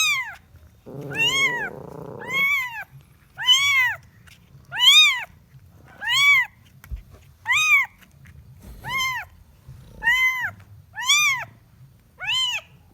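A kitten gives high, arching meows about every second, calling for its mother.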